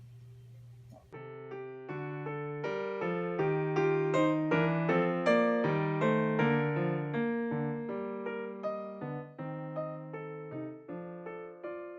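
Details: Gentle piano melody with sustained chords and evenly paced notes, starting after a second of quiet.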